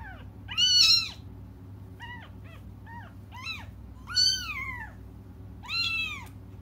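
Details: Crying cats wait for their mother's return, giving about seven meows of mixed length. Short quick mews alternate with three long, loud, arched wails, and a constant low-pitched hum runs through the background.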